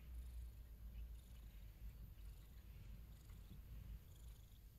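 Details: A domestic cat purring: a steady, deep, low rumble that pulses continuously throughout, quiet and close, with no other clear sounds.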